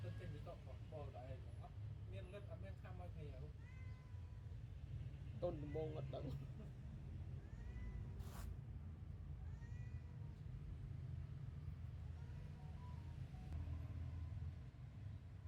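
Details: Newborn kittens nursing from their mother cat, giving short, thin, high mews in scattered bursts, some rising then falling, over a constant low hum.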